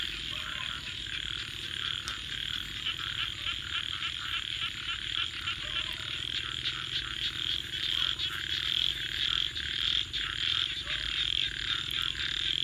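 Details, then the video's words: Night frog chorus near a campfire, a continuous shrill pulsing trill that swells gradually louder, broken by occasional loud snaps of burning wood. "Virtual Campfire with Crackling Fire 🔥 and frogs 🐸 Sounds continue"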